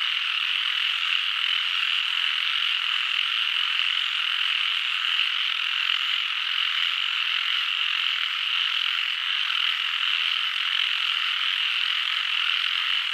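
A dense frog chorus, a steady high trilling wall of overlapping calls with no pause.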